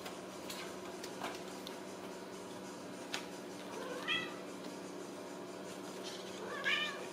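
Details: Ragdoll kittens raised indoors without cages at a home cattery in central Kansas: two short, thin, high meows, one near the middle and one near the end, over a steady low room hum.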